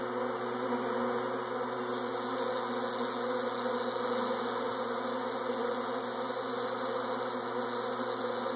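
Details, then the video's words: Swarming honey bees producing a dense, steady, continuous buzzing drone without breaks, layered with a constant low mechanical hum throughout. "Bees Swarming"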